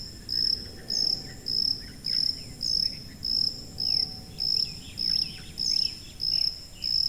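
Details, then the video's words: Cricket in a high-frequency recording used for tinnitus masking: short, bright, even chirps at a steady high pitch, roughly every 0.6 seconds, with faint scattered squeaks and a low background rumble. "고주파_귀뚜라미3 / High-Frequency_Cricket3"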